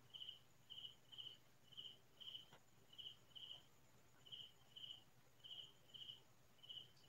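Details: A cricket chirps at night in rural fields, short, evenly spaced pulses, a high trill repeated about twice each second.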